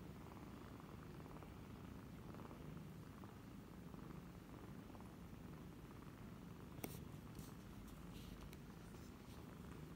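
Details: Nursing kittens, 28 days old, drinking milk from a former stray first-time mother cat in Cambodia on 28 January 2020; a deep unbroken purr rumbles for the full ten seconds, with a few sharp clicks near the end.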